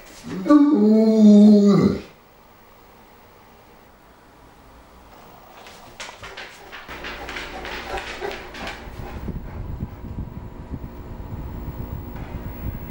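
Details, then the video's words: St. Bernard pet dog 'talking': a loud, drawn-out moaning whine with rich stacked harmonics, wavering up and down for about two seconds, followed by quiet rustling and shuffling noises. "St. Bernard Dog Talking"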